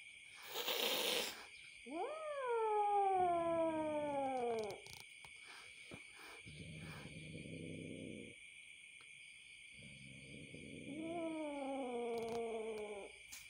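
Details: Angry kitten, newly out from the darkness, gives two long wavering yowls that rise then sag in pitch, with low rumbling growls between them, over a steady high insect drone.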